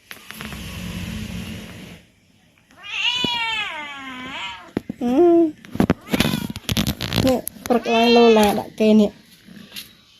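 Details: Talkative male cat at home calling because he wants his owner to play: after a couple of seconds of rustling noise, drawn-out wavering meows come between bursts of a person talking.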